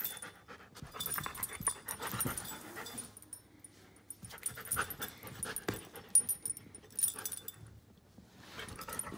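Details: Giant schnauzer, one year and five months old, heard panting and huffing in uneven breathy bursts separated by brief quiet gaps.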